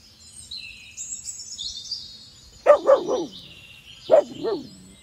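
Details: A dog in Boone, North Carolina, barks at a deer, giving two quick bursts of deep, sharp barks, with faint high bird chirps in the background.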